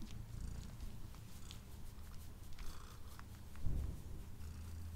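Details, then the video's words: Quiet, low continuous purring from a male house cat eating indoors, recorded on a Blue Yeti microphone, with faint clicking eating noises above and one brief louder thump near the end. "Cat Purring and Eating Sounds"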